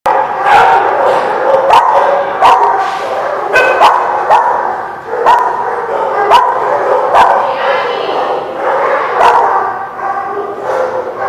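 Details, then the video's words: Many dogs barking together at a place called The Barking Lot, recorded 23 June 2017; dense overlapping barks and yips repeat throughout, forming a continuous chorus with sharp individual barks standing out. "The Barking Lot"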